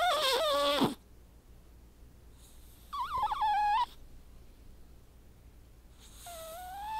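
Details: White domestic cat snoring heavily while asleep, each breath turning into a high, whistled, wavering tone with buzzy overtones, three whistling breaths spaced roughly three seconds apart against a quiet background.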